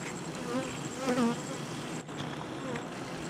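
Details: Honey bees swarming around an opened hive while honey is extracted for comb honey; a dense, steady buzzing of many bees swells into a louder, wavering hum near the middle.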